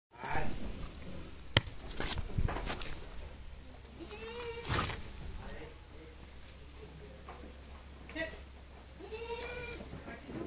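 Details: Young Sojat goat kids at a goat farm near Pune, Maharashtra, India, giving several short harmonic bleats, some rising and falling, with louder cries near the middle and end, over steady low hum, clicks and people talking.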